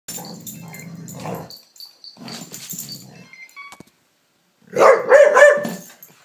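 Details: Layla, a Palestinian street dog now living in Canada, plays excitedly with a lamp shade indoors, giving low rumbling growls followed after a pause by a louder, strained howling burst.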